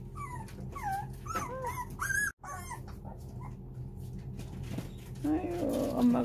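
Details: Four-week-old puppies pleading for their tired mother to come back in as she turns aloof to wean them; a burst of thin, bending whines and yelps, then quieter shuffling and a woman speaking.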